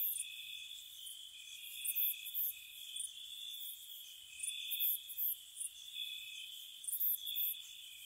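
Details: Spring night crickets by a cottage, a continuous thin ringing drone beneath sharp high chirp bursts that come in short groups near two, five and seven seconds, irregularly spaced.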